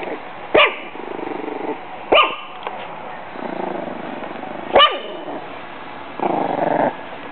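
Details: Six-week-old Pug/Jack Russell mix pup named Bailey defends her food and water bowls against a bag, giving four shrill, separated barks, each followed by stretches of throaty growling.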